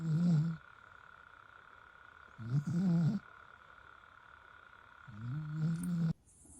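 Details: A sleeping dog snoring in slow, low, rumbling breaths, three snores roughly two to three seconds apart over a steady background hum.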